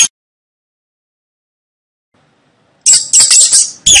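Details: Rat calling after a long silence: a brief high squeak at the very start, then a quick run of sharp, piercing chit-chit squeaks near the end, closely spaced and slightly rasping.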